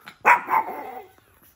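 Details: Four-month-old pug puppy giving one short, loud bark that trails into a brief whiny tail lasting under a second, indoors, with a person talking to the puppy just before and after.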